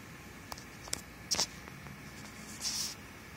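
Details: A singing ground squirrel in Tucson, Arizona, possibly a chipmunk, gives a few brief, very high-pitched squeaky chirps over faint clicks and rustling.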